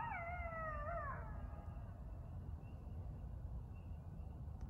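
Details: At night, around 10-11pm, a couple of coyotes howl clearly between forests near Burlington, Ontario. One gives a brief, wavering howl that slides gently downward, then fades.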